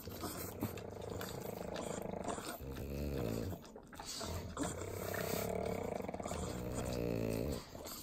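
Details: Butter being eaten by three pug dogs in the Inland Empire, Southern California: harmonic, throaty snorting grunts swell in long bursts over quick wet licks, briefly quieter near the middle.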